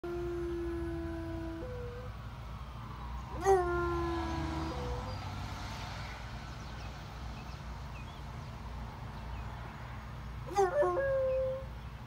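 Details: A Bloodhound–Basset Hound mix "says good morning to the neighborhood" with long, mournful howls whose held notes step up and down in pitch.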